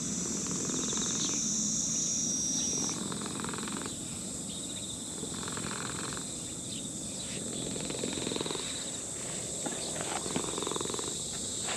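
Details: Elderly brown-and-white male cat purring while a person strokes it in a park. Soft pulsed rumble rises and falls in bursts about a second long, partly masked by a steady high whine of insects throughout.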